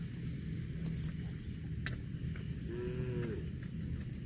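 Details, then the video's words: Cow grazing on grass gives a short low moo that bends up and then falls away late in the clip, over a steady low rumble of background noise. "CUTE AND FUNNY COW SOUND EATING GRASS COMPILATION - COW MOOING"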